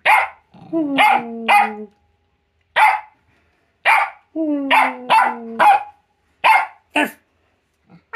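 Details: A Jack Russell Terrier in a barking competition gives sharp, high barks in quick bursts while a person answers with lower, drawn-out bark-like sounds.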